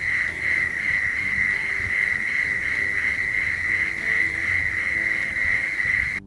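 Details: Several male prairie mole crickets calling together in a lek in Oklahoma, played back for the Lost Cricket Project: a dense, unbroken buzzing drone at one steady pitch, the overlapping chirps of the callers merging into a continuous pulsing chorus.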